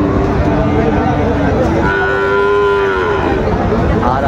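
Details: Sahiwal bulls at a cattle market in Narsingdi, Bangladesh, on 5 July 2024: a long tonal moo that holds steady, then rises and falls in pitch, heard over a constant din of crowd noise.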